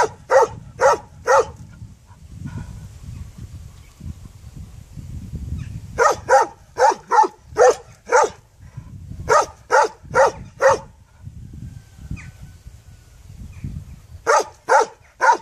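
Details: A puppy barks in rapid runs of three to five sharp, evenly spaced yaps, pausing a few seconds between runs, over a steady low rumbling background.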